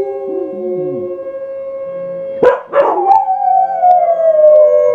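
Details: Two dogs named Indy and Oz howling: a lower voice with short rising-and-falling wails, then sharp yelps, followed by a long high howl that gradually slides downward.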